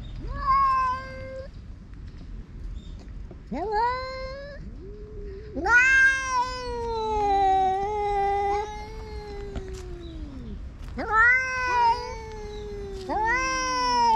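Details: Cats fighting as a grey-tabby-and-white cat chases a ginger tabby that entered its territory: a series of loud, drawn-out harmonic yowls, rising then sagging, some overlapping in two voices, separated by brief pauses over about fourteen seconds.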